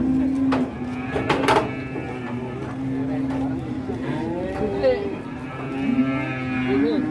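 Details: Large cattle in Indonesia, agitated while being unloaded from a truck, give drawn-out harmonic moos midway through, over steady background music and brief voices.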